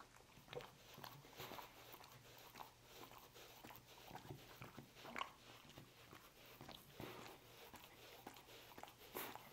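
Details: Dog chewing roast beef: steady run of small wet clicks and crunching bites, irregular and close together, at low volume throughout.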